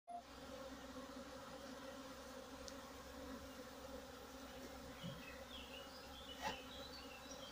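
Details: Western honey bee drones in a drone flight cage used for rearing and selecting drones give a steady, low droning buzz as they fly, with a few brief chirps over it.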